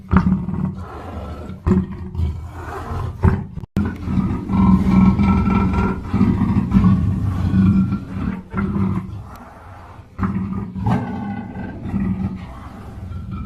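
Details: Black panther giving deep, rough roaring calls, a run of irregular throaty bursts with low rumbling energy and harsh upper harmonics, broken by brief pauses.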